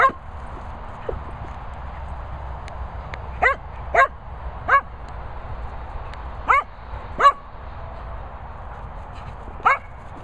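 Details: A Cocker Spaniel called Darling, living with Bella Boo and Bernie, gives scattered single barks, about eight in ten seconds at irregular gaps, against a constant low hum.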